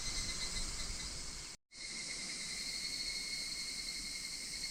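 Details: Higurashi cicadas, recorded in August 2026 around Minoh Park, Kawachinagano and Koyasan, give a steady high ringing drone with fine rapid pulsing. A brief silent gap cuts through partway.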